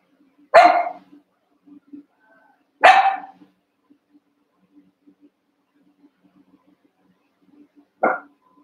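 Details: Cavalier King Charles Spaniel puppies, one month old, wrestling and playing among eight littermates in an indoor pen: three sharp, bright barks, two close together near the start and a shorter one after a long pause, over a faint low hum.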